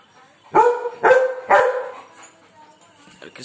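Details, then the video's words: German Shepherd dog barking aggressively at birds, three strong harmonic barks about half a second apart, followed by fainter rustling and clicking sounds. "German Shepherd aggressive barking"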